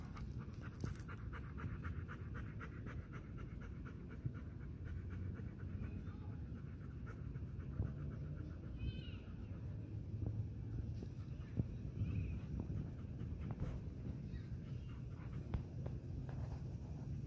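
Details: Golden Retriever named Jack, happy while rolling and lying in the grass, panting steadily in low, breathy pulses amid soft rustling from the grass throughout.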